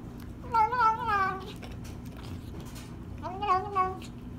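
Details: Rescued female kitten at her first meal after five days up a tree: two drawn-out wavering meows, the first long and slurred, the second shorter, with quiet background hum between.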